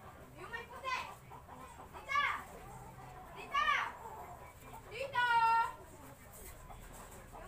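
A Siamese cat gives a series of loud, nasal, almost human-sounding meows, one every second or so.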